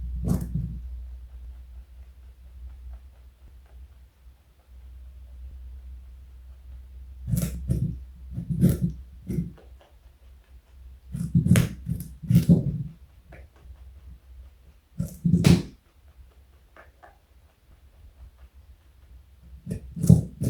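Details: Large pet rabbit, 4.6 kg, eating carrot in a small room; bursts of crunchy chewing separated by quiet pauses of several seconds, a faint low hum underneath.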